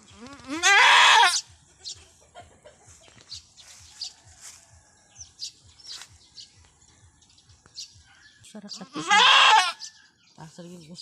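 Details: Goat in a hard first birth on a small backyard farm cries out twice, long wavering bleats that rise and then fall, about eight seconds apart, with faint clicks and low murmurs in between.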